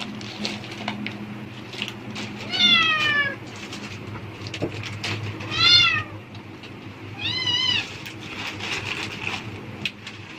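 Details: A domestic cat responds to plastic bag sounds as if expecting food, giving three separate meows roughly two to three seconds apart, each slightly falling, with background rustling and a low steady hum.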